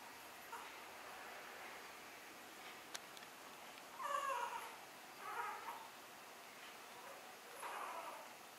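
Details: Newborn Miniature Schnauzer puppies born on 27 November give three short, high, squeaky whimpers near four, five and a half, and eight seconds over a quiet indoor hiss, with a brief tick just before three seconds.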